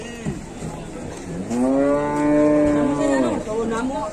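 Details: Large cattle being unloaded in Indonesia: one long, steady, rich-toned moo rising then holding for about two seconds before fading, with background crowd murmur and low noise.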